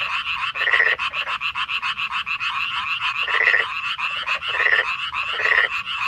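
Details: A dense night chorus of Korean frogs in May 2025 gives rapid pulsed croaks that overlap in a steady, rattling wall of sound.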